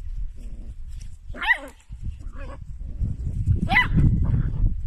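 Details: Dachshund, a sausage dog, giving two short, sharp yipping barks about two seconds apart, each with a quick pitch wobble, over low rumbling background noise.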